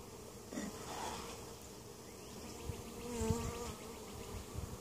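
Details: Soft background hum of honey bees at a winter-weakened hive in Mt. Perry, Ohio, being treated with oxalic acid for varroa mites; a steady low drone with a couple of brief louder buzzes.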